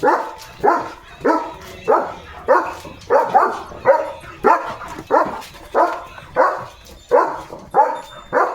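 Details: Leo the German Shepherd, running and playing with his owner in open green fields, gives a long steady series of about fourteen rough barks, one roughly every 0.6 seconds, evenly spaced with little pause.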